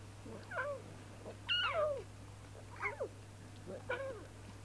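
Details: Young lion cubs frolicking and bonding in the wild; four short mewing calls about a second apart, each bending downward with rich overtones, over a steady low hum.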